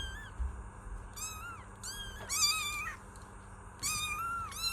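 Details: Several kittens give thin, high-pitched meows that rise and fall, overlapping in quick bursts.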